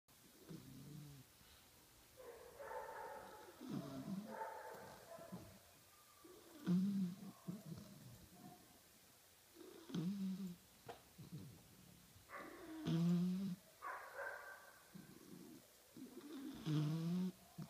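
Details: A 5-month-old bulldog puppy snoring at nap time indoors: low, rough snorts about every three seconds, some with a short nasal squeak, with quiet breathing between them.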